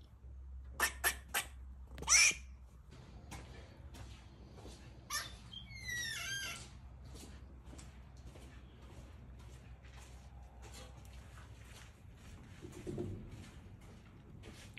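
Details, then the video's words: Rescued female squirrel in heat mixing mating calls, barks and eating: a run of sharp clicks and a short harsh burst, then a series of quick chirpy down-slurred notes, followed by soft scuffling and a low thud. "Squirrel Mating Call and Barking (Female)"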